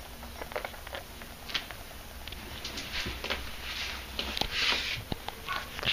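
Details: Two newly adopted pet sugar gliders, angry and unhappy at being filmed, give harsh crackling hissy bursts that swell into a louder rasping chatter near the end, indoors in a small room.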